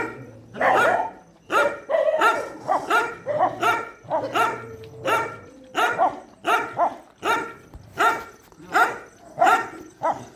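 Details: At a shelter during night feeding, dogs give loud, harsh barks in a steady run of about eighty per minute, separated by short quiet gaps.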